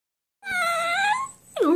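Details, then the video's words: Dog talking back to its owner: two drawn-out, tonal whining vocalizations, the first held level for under a second, the second starting high and sliding downward, clean with no other sounds. "Dog Talking back to me."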